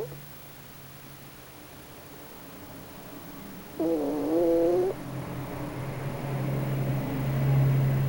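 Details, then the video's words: Snoring from Pochi, a sleeping raccoon dog making a strange face. One harmonic, nasal snore of about a second sits over a steady low mechanical hum that continues throughout. "たぬきのポチのイビキ Snoring of Pochi of the raccoon dog"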